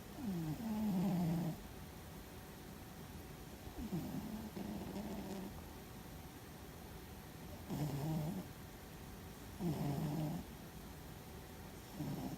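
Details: Fuzzy, a pet cat asleep and dreaming, snores loudly: rough, low buzzing breaths that fall slightly in pitch, repeated about every two to three seconds across five snores, with a quiet room hum beneath.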